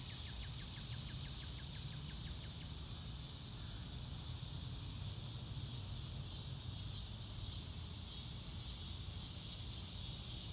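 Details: Crickets outdoors in the grass, a steady high chorus behind a quick run of clicking pulses near the start and scattered sharp ticks later.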